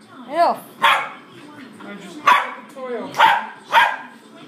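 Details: A 4-year-old female dog play fighting with an 8-week-old puppy: a few sharp barks mixed with a short rising-and-falling yelp, spaced about a second apart.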